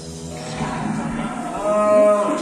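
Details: A long drawn moo from fat cattle kept at a pen in Magelang, Central Java, Indonesia: a rich, harmonic bellow that swells and rises in pitch toward the end, with faint background chatter.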